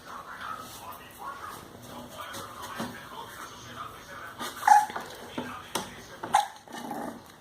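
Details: Whimpering from 32-day-old English Bulldog puppies Kala and Ada, indoors: soft whiny sounds with two sharper high squeals a couple of seconds apart near the end, over a person talking and rustling handling noises.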